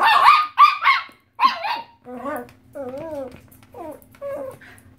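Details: Chihuahua, 2.5 years old, reacting to a squeaked pig toy it hates, with a second brown dog present: a run of sharp, high, yappy barks at the start, then softer whining, squeaky sounds and a steady low hum.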